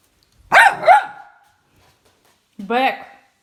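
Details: Young chocolate Labrador named Bek, indoors on the bed it will not let its owner onto: two quick, sharp, high barks, a silent gap, then a brief human voice.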